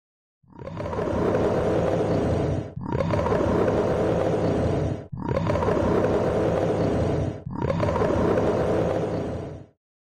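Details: Polar bear at a zoo giving four long, rough, rumbling roars, each lasting about two seconds with short breaks between, evenly repeated with a harsh, broad growling tone.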